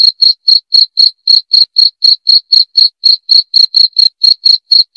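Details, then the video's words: Loud, clear cricket chirps, played to drive off rats, repeating in a quick, even pulse of about four a second with nothing else audible. "SUARA JANGKRIK PENGUSIR TIKUS"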